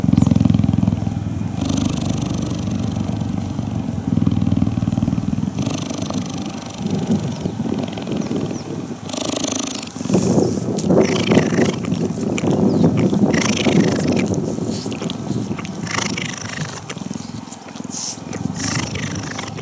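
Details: A female cheetah purrs while being touched and cuddled, a deep, steady rumble that swells and fades in long, even pulses as she inhales and exhales.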